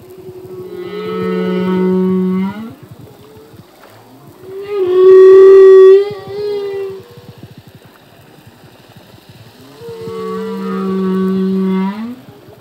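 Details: Male humpback whale singing in the ocean, from a full-length song: long tonal moans with rich harmonics, a low steady hum rising at its end, then a louder bright wavering cry, repeating in phrases about every five seconds, with faint clicking beneath.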